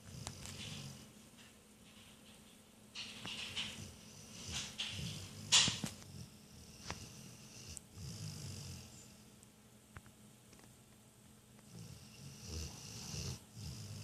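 A sleeping Rottweiler snores in slow, low rumbling breaths that rise and fade every few seconds.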